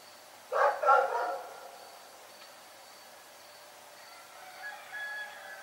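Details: Rex, a dog barking in the night, gives a short burst of two or three harsh, overlapping barks near the start, then quiet with faint tonal sounds in the background toward the end.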